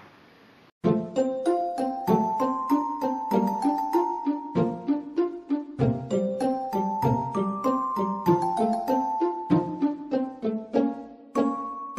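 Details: Bright chiming music like a glockenspiel or xylophone plays a bouncy melody throughout, with no animal voice audible.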